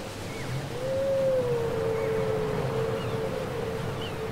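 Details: Whale song taped from cassette, one long smooth moaning tone that rises slightly and then glides gently down over several seconds, with faint higher squeaks and a low hum beneath.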